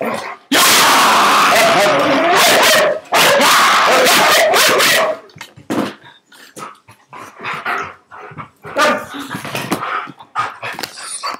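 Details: Husky letting out two long, loud, harsh vocal blasts, then a series of shorter, softer yips and grumbles, with some human speech mixed in toward the end.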